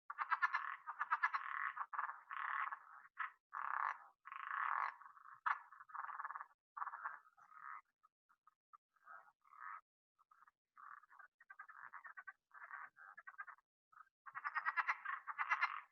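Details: Southern leopard frog from the Southeast Texas (Houston) area giving harsh, pulsed, rattling chuckles and squeaky clucks in uneven bursts, likened to a finger rubbed along a balloon, with brief pauses before fast rattles return.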